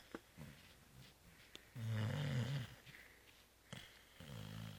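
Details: Zoé the cat, fast asleep after Christmas Eve réveillon and Christmas brunch, snores indoors: one long, low, rumbling inhale near the middle, with softer snuffling breaths before and after in a quiet room.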